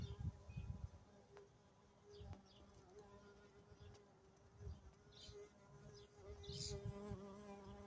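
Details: Carpenter bee burrowed inside a large dragon fruit flower, giving a steady droning hum with a clear tone and stacked overtones, broken by low rustling thumps, with a few faint bird chirps high above.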